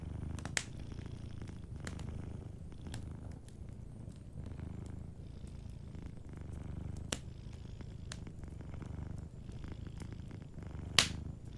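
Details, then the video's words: Soft purring from a sleeping cat, low pulsing rumble in even swells roughly every second or two, mixed with crackling fireplace and a few sharp pops, the loudest near the end. "Warm Fireplace Ambience with a Sleeping Cat 🐱💤Fireplace & Soft Purring"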